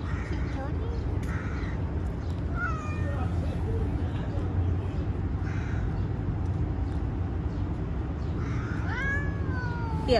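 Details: Stray three-legged street cat meowing while being petted: a short mew near three seconds, then a clearer rising-falling meow at the end, over constant street noise and a person coaxing it in Persian.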